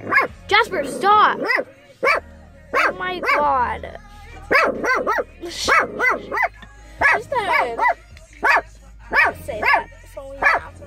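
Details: Pet shepherd dog barking at someone: a steady series of sharp, harmonic-rich barks, some with a whining upward slide, repeated roughly every half second to second, with a person's voice and faint background hum between bursts.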